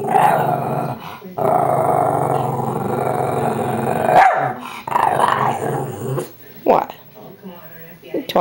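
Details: A female Shih Tzu playing with a squeaky toy makes drawn-out, growly moaning sounds, talking back to its owner.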